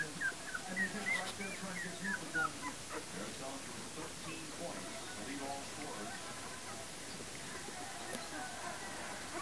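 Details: Puppies from the litter of Libby and Hoops, born January 28, 2012, give high, thin squeaking whimpers that rise and fall, clustered in the first few seconds, over a steady murmur of human voices and background hum.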